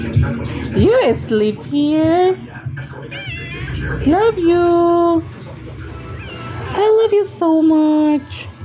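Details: Cat meowing repeatedly: drawn-out wavering meows, several rising then levelling off, about every two seconds, over a background of music and voices.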